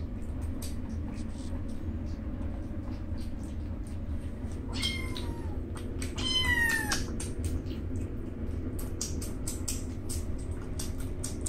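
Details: Two rescued newborn alley kittens feeding and jostling almost as if fighting; two sharp high meows arch up and down mid-clip amid steady clicking, smacking eating noises.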